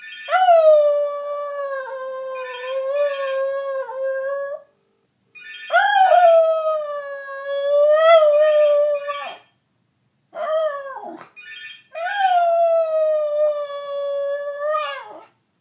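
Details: Welsh Terrier kept as a pet, howling along with a telephone: four long, sustained, mournful howls, each opening with a rising swoop and then holding a steady wavering pitch, separated by short silences.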